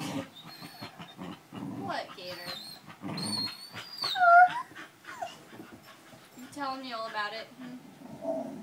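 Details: Household dogs join in a group howl started by one missing her owner; a clear high bending howl, then a quavering, wobbling howl later, among grumbling vocal noises and human speech.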